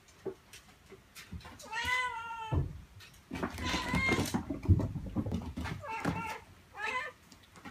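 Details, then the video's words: Meowing domestic cat, offered to lure cats out of hiding: a drawn-out wavering meow, a noisy stretch with faint voices and knocks, then two briefer meows near the end. "Meows to ATTRACT CATS"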